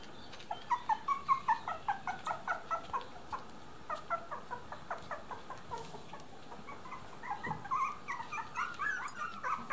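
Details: Miniature Dachshund puppies, three weeks old, give a string of short whiny yelps that come quickly and then thin out, before louder drawn-out whimpers build near the end, with a soft thump in between.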